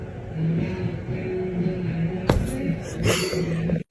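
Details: Low vehicle rumble and faint music, with a couple of sharp knocks near the end and no animal voice.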